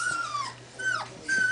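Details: Indoors with two-week-old collie puppies, one puppy trying to climb out of the box whimpers in three thin, high whines. Each is held steady then slides downward, and the last one stays level and clear.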